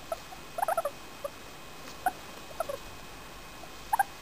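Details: A 4-year-old female English Crested guinea pig, happy and enjoying being petted, gives short soft squeaks and chirps in small clusters, a quick run near the start, then single notes spaced over the rest, against a quiet hiss.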